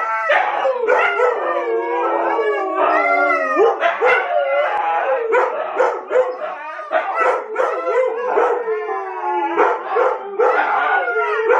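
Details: Chorus of huskies howling, the pack joining in after Domi starts it: long sliding howls layered over each other with frequent short yips and barks throughout.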